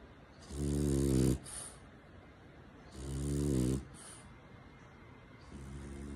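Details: French Bulldog dozing in its owner's arms while being cuddled; loud, throaty, buzzing snores repeating about every two and a half seconds, each followed by a brief hissing exhale, in a quiet room.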